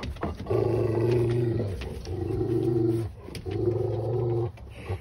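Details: German Rottweiler pups, sustained low harmonic growling in three long bursts of about a second each, separated by short pauses.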